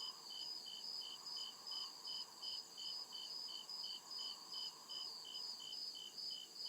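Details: Woodland crickets at night give regular, sharp, high chirps in two stacked pitches, roughly two and a half pulses each second, above an unbroken shrill background drone and faint low murmuring.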